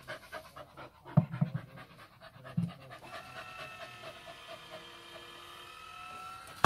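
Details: Pet dog panting rapidly while waiting for a tennis ball launcher to throw, quick rhythmic breaths with a few louder puffs, then a steady mechanical whine from the launcher rising slightly before a sharp thump at the end.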